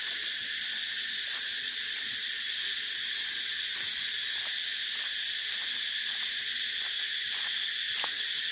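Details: Cicadas drone without a break in a sharp, sizzling high buzz. Brief soft ticks and knocks break through now and then beneath the unbroken shrill chorus.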